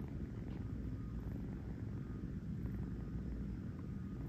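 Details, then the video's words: Close, dense purring from a kitten settled on a fuzzy bed for a nap in New York, a continuous low throbbing rumble with no pauses and nothing else clearly heard. "a kitten purring on a fuzzy bed"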